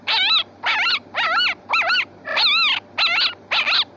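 A fox gives a run of high, wavering, whining yelps, each about half a second long.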